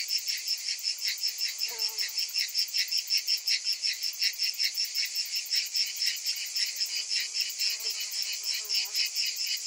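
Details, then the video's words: Summer cicadas buzz in a loud, high, rasping chorus that throbs in quick regular pulses, with a couple of faint, lower chirps briefly breaking through. "Cicadas in Summer"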